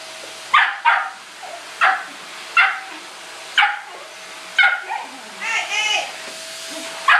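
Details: Shetland Sheepdog indoors barking at a vacuum cleaner it hates: sharp high barks about once a second, a short yelping burst near the end, over the vacuum's steady drone.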